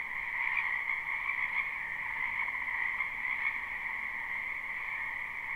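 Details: Croaking frogs in a wetland in spring, captured live with no looping: a slightly quieter, constant chorus of overlapping high trills and a lower humming band, steady throughout.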